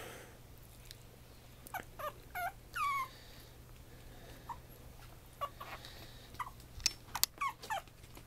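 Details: Pomeranian puppy, a 56-day-old black-and-white female from Mie, Japan, giving scattered short falling whimpers and squeaks with quiet gaps, plus a few soft clicks and rustles indoors.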